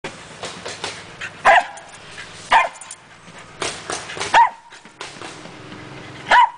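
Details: A Pembroke Welsh Corgi, playing with an exercise ball, gives sharp, loud single barks spaced a second or two apart.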